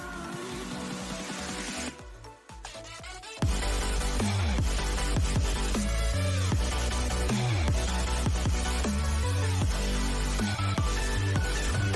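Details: Loud electronic music with heavy pulsing bass, briefly dropping to a quieter break between two and three and a half seconds.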